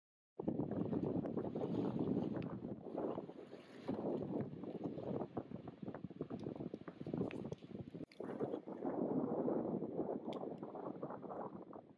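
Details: Steady wind rumbles against the microphone at a beach, with surf-like wash and faint distant voices, and no animal sound.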